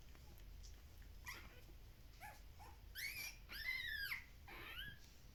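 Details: Kumi's two-week-old puppies, at a Shiba Inu and Samoyed breeder in the Netherlands, give a run of high, arching whines and squeals, some overlapping, rising and falling in pitch over a faint low indoor hum.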